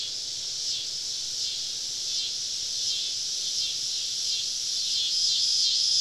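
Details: Cicadas surrounding a woodland camp on a southern summer evening make a continuous high, shimmering buzz with gentle swells, rising a little in loudness toward the end; no other clear sounds.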